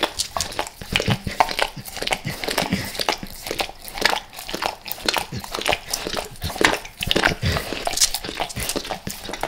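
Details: Dog named Max eating natural peanut butter squares, eager for the peanut butter oil; crisp, sticky tongue smacks and clicks repeat several times a second, some louder wet slurps, recorded close in a small indoor room.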